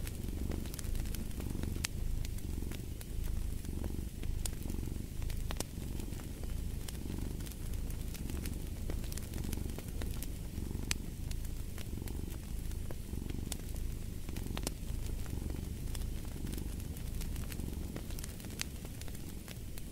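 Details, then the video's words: Cat purring continuously next to a fireplace: deep, even rumbling that rises and falls roughly every second with each inhale and exhale, dotted with crisp crackles and pops of wood burning. "Fall asleep to the Purring of a Cat & Fireplace"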